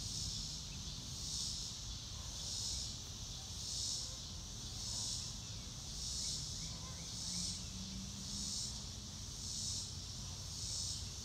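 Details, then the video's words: Crickets outdoors: a high, hissing buzz that swells in regular pulses about once a second, with a low rumble of wind or distant traffic underneath. "Nature Sounds - Real Time - No Music - Meditation - Crickets"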